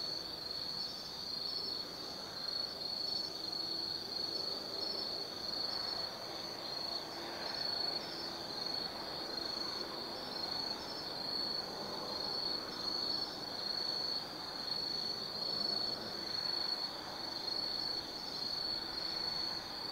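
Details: Autumn insects singing at night in the forest of Tsukimi no Mori, Kaizu, Gifu, Japan, from an observation deck 180 m above the Nobi Plain: a steady high shrill trill, continuous throughout, with soft broadband background rumble.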